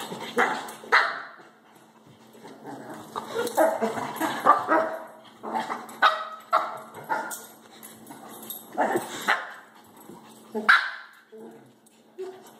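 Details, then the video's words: Baxter, a shih-tzu, and Harley, a Labrador, play-fighting indoors over one toy late at night. Rapid clusters of yapping barks and growly yips run almost continuously, with a couple of louder high yelps near the end. "Baxter(shih-tzu) and Harley (lab) fight over toy"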